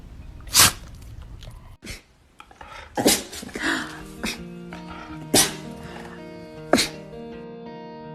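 A dog sneezes several times, each a sharp, breathy burst, over soft background music.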